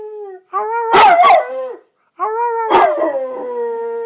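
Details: Red-nose pit bull named Thor howling twice, each howl a tonal note that rises into a loud cracking break, then settles into a long steady tone.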